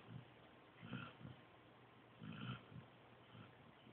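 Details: Joby, a sleeping pointer pup, snores softly: low, rumbling breaths swell and fade in short bursts roughly every second or so, with a faint hiss on some exhales, in a quiet room.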